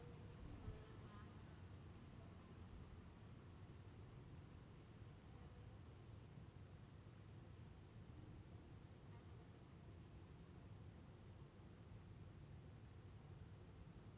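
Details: Bees recorded outdoors in Heiden, Switzerland: a soft, faint hum with low harmonic bands that waver in pitch, clearest in the first seconds, over a steady low rumble of background noise.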